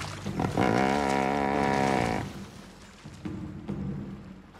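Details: Dominant male hippopotamus along the Luangwa River, Zambia, rebuking a courting pair that strayed into his territory: a loud, rich harmonic bellow of about one and a half seconds, followed by quieter low grunts.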